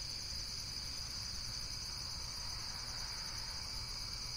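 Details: Insects chirping in a steady, dense high-pitched chorus, a continuous shimmering buzz with no pauses, over a low background hum.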